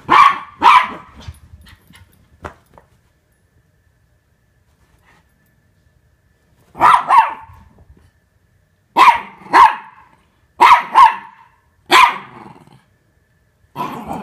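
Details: Norfolk Terriers wrestling with Ernie, working to keep him under control; a pair of sharp barks, a long quiet gap, then a run of loud, evenly spaced double barks about every one to two seconds.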